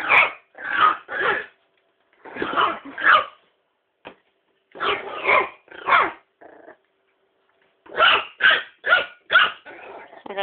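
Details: A female Miniature Pinscher barks at a toy in sharp bursts of two or three, with a person speaking Danish between them.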